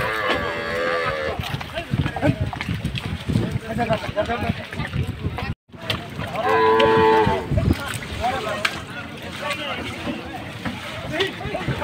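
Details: Cattle unloaded for Qurbani Eid in Bangladesh; amid dense crowd noise, voices and music, one clear prolonged moo rises out of the din midway, with fainter lowing earlier.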